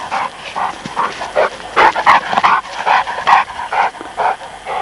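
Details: Presa Canario and Neapolitan Mastiff pups playing together, giving a quick run of short, mid-pitched barks and yips, about two per second, fairly irregular, with no other sounds standing out.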